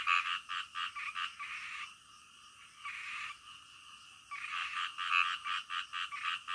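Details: Frogs calling in the middle of the night: loud, rapid trains of rasping croaks pulsing about three times a second, with a quieter, steadier stretch midway before the pulsed croaking resumes.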